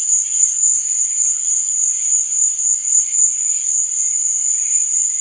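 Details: Crickets chirping at night: a dense, steady high-pitched trill that pulses gently in loudness, with fainter, lower chirps woven underneath throughout.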